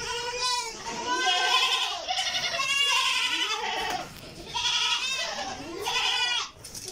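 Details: Goats at a farm feeder in Karnataka, India, giving loud, sustained bleats about every second, each a wavering nasal cry that drops in pitch at the end, with calls running together.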